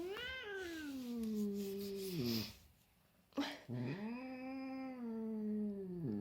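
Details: Pet cat meeting his little brother for the first time, giving long drawn-out moaning meows that slide downward and waver, two calls separated by a short quiet gap and a brief sharp noise, indoors.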